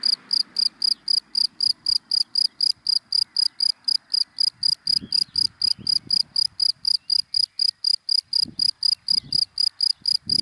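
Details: High, rapid chirping of a cricket in dry daytime grass, evenly pulsed at roughly four chirps per second throughout, with faint low thuds and distant traffic beneath.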